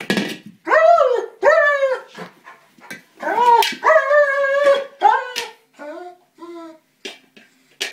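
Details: Male German Shepherd attacking a small buoy, upset that he cannot puncture it; loud, drawn-out harmonic whines and yelps, some rising then falling, in bursts with short silent gaps and faint rustling between.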